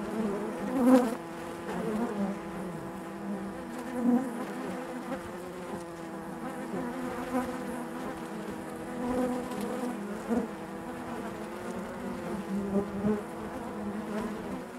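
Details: Honey bees buzzing inside their hive: a steady, dense drone of many overlapping wings with layered low tones, rising in brief louder swells near one, four and thirteen seconds.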